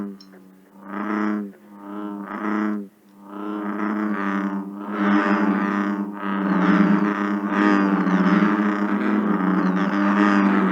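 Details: American bullfrogs in Ohio give deep, resonant 'rum' mating calls, separate at first, then overlapping into a continuous bass chorus of males; they call into July.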